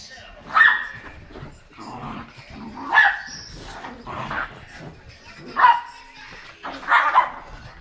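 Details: Two Miniature Schnauzers greeting affectionately in the early morning, giving short high whines and squeaky yips in bursts roughly every one to two seconds, mixed with a person talking softly throughout.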